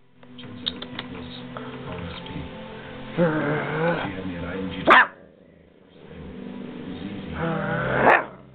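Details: Female Siberian Husky puppy, 44 days old, barking while being encouraged to play: two short, yelping bark bursts ending in sharp high peaks, mixed with whiny vocalizing and some background hum.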